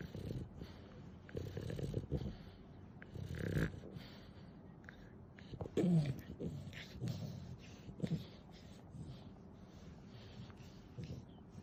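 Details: Nana the pet dog, described as a cuddly, clingy companion, snoring in a tenfold-accelerated recording; soft, low, raspy breaths come in short irregular bursts over a faint steady background hiss.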